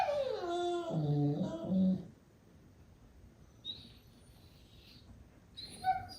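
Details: Medium goldendoodle puppies, sibling pair, making seal-like noises in play; a two-second descending whiny howl with growly low notes, then near silence with faint high squeaks.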